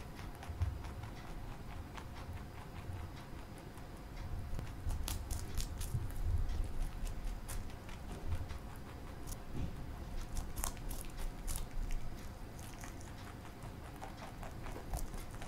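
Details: Pet bunny Marshmallow, a male, munches broccoli in a small room, giving a steady run of sharp, fast crunching ticks that grow denser through the middle, with a faint low hum underneath.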